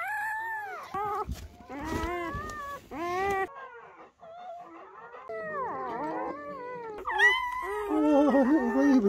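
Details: German Shepherd named Betty giving birth indoors under a dim camping light on the first night of labour, with newborn puppies arriving. High, wavering whines and whimpers rise and fall in short bursts, then a longer whining run. Soft human voices are heard in between.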